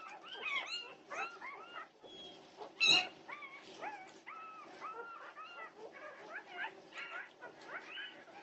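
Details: Norwegian Buhund puppies whimper and yip at 2:30am on June 8, 2021. Repeated high, bent whines come one after another, broken by one louder sharp yelp near the third second.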